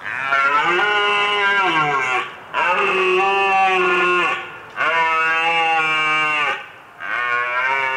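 Red deer bellowing: four long, deep, drawn-out moaning calls, each nearly two seconds, repeated about every two seconds with brief pauses between.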